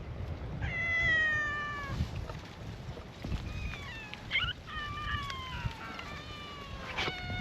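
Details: Stray cats gathered on a cat island greet a visitor with a chorus of cute meows; long, level, harmonic-rich meows overlap one another, some wavering and falling at the end, over faint outdoor background noise.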